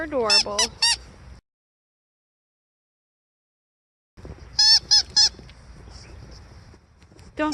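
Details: A Siberian Husky, Aurora, calls out in falling snow wanting a playmate: a wavering whine then quick clipped yips, a silent pause, and another burst of three sharp yelps before a final rising whine.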